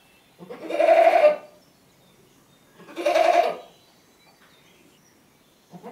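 Two long, strained bleats from a goat, each about a second, rise into a raw, quavering scream. A third cry starts just as the recording ends.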